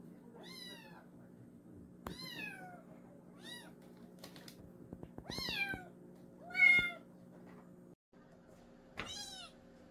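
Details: Young countryside cat meowing repeatedly, six short rising-then-falling mews spread over ten seconds, one louder call near the end, over a steady electrical hum with sharp clicks and tapping sounds between calls.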